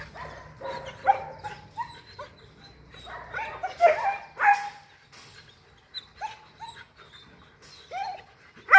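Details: German Shepherd puppies from two litters at a kennel in Bảo Lộc, Lâm Đồng, Vietnam, yip and bark in short, high, irregular bursts with some whining between.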